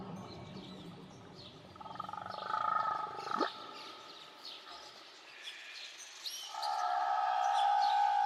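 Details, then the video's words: Whale recorded around Tahiti: long, steady tonal moans held for one to two seconds, a sharp downward-sweeping cry in the middle, and scattered higher squeaks and chirps over a soft background hiss. "Nature Sounds Only Whales & Beaches"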